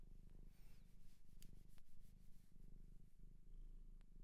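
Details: Cat adopted from a shelter in Japan purring softly, a low continuous rumbling throb that pulses gently throughout, with faint rubbing and handling noises over the top.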